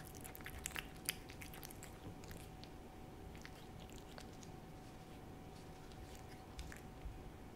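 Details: Pet cat Hodu lapping a Ciao Churu paste treat inside a small room. Quick moist clicks cluster early, then sparse smacks and a couple of sharper ticks toward the close, with faint constant background hum.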